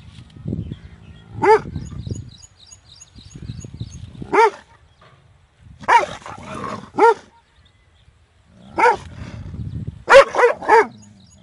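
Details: A big dog barks loudly in short bursts: single and paired harsh barks spaced a few seconds apart, with low rumbling background noise between them.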